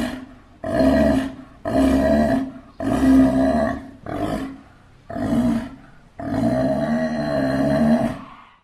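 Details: Steller sea lion. Harsh, throaty roars from a Steller sea lion come in repeated bursts of about a second, separated by short pauses. The series ends with a longer, drawn-out bellow that rises and falls.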